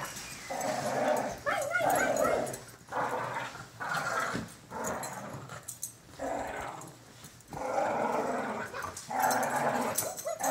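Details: Pet cocker spaniel bitch growling playfully as her toy is teased away; rhythmic rumbling growls roughly a second long repeat about seven times in ten seconds with short pauses between them.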